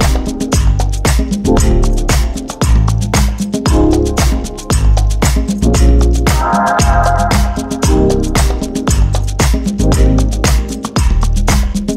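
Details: Upbeat funk-disco track with a thumping bass beat and bright stabs throughout, and no animal sound.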